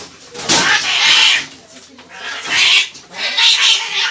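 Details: Cat agitated and angry at the vet; sustained harsh hissing and spitting in three long bursts, loud and broadband, with faint human speech between them.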